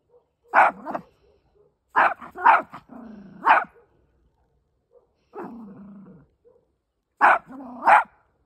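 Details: Fido the Chihuahua talks back to barking dogs on the other side, letting them know he is not scared: doubled sharp barks broken by drawn-out, wavering growl-like whines between them.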